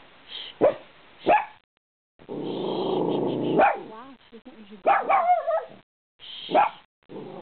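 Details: Puppy on a couch barking at cars going by; rapid sharp barks and yips mixed with a buzzing purr-like growl, while a woman hushes her repeatedly with shushing sounds.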